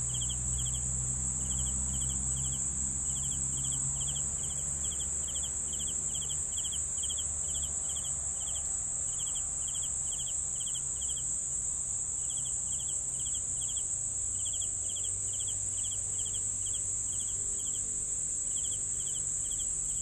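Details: Steady chorus of crickets: pulsed triple chirps, roughly four a second with brief pauses, set against an unbroken high-pitched insect buzz and a faint low hum at the start.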